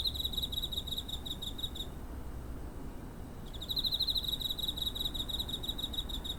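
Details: Cricket chirping near home, recorded on 7 September 2023 on a TASCAM DR-05; two bursts of fast, pulsed trill separated by a pause of roughly a second and a half, with steady low background hum.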